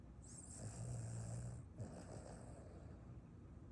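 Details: A Boston Terrier sleeping after a run snores with a low, rattling drone that rises and falls with each breath.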